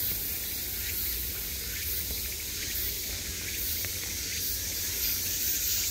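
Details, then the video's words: Cicadas at the height of summer, heard from every side: an unbroken, shimmering high buzz with slight pulsing swells, over a soft low background rumble. "매미소리를 들으며 휴식. Cicadas's buzzing sound"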